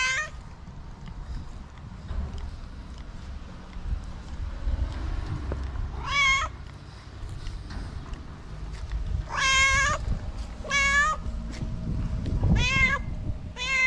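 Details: Homeless cat in Morocco sheltering beside walls from the rain meows repeatedly: one plaintive cry midway, then a quick cluster of three or four loud, wavering meows, over constant low outdoor noise.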